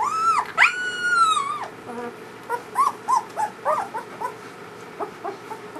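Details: A litter of newborn German Shepherd puppies, the first litter of their mother Ulra, opens with a long wavering high whine, then a quick run of short squeaky whimpers, roughly three per second, fading at the end.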